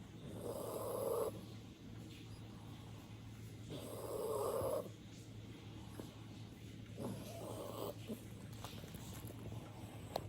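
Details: An old chocolate poodle snores with its eyes open, in slow, rough breaths, each rasping snore lasting about a second.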